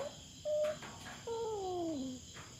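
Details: Feral cat trespassing on farm cats' ground in the Philippines during a standoff with a black cat. A brief steady tone leads into a longer moaning yowl that glides steadily downward, with insects buzzing behind.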